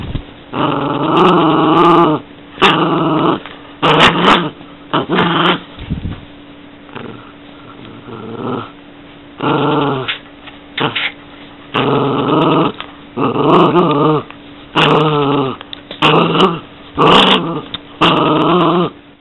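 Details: Mikey, a pet Yorkshire terrier, growls in repeated rumbling bursts of one to two seconds separated by short pauses, about a dozen bouts, some rising into higher snarling tones, with faint clicks between.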